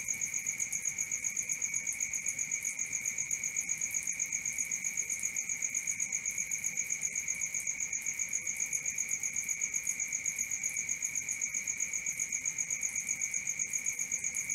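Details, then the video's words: Night cricket sound: a continuous piercing trill, evenly pulsed at roughly four beats a second, never pausing, with a faint low background hiss. "Cricket 1 hour for Sleeping & Relaxation, Black Screen, ASMR, Dark Screen Nature Sounds"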